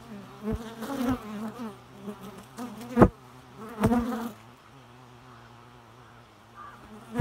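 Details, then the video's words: Buzzing bees, a loud droning hum with strong harmonics that pulses in waves, broken by two sharp clicks, then settling into a softer steady hum. "Bee Noise"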